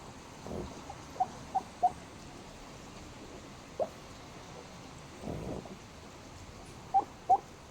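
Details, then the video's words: Sleeping black pug making small squeaky chirps, scattered singly and in pairs across several seconds, with soft breathy snuffles between them in a quiet room; the sounds may be snoring or hiccuping. "しゃっくり？ イビキ？Hiccup or Snoring"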